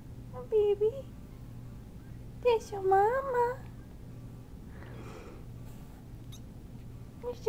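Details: Cat meowing: a short bent meow early on, then a longer wavering, drawn-out meow with rising and falling pitch, and a brief one at the end, over a steady low hum with a soft rustle between calls.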